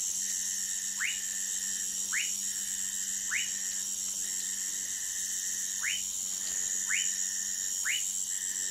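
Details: Orinoco lime tree frog (Sphaenorhynchus lacteus) calling in Manaus, Amazonas, Brazil: short, sharply rising whistled notes repeated about once a second, with a pause mid-series, over a steady high-pitched insect drone.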